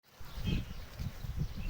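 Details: Pigs on a farm grunting: deep, low, pulsing grunts repeated in quick succession over less than two seconds, with faint background noise.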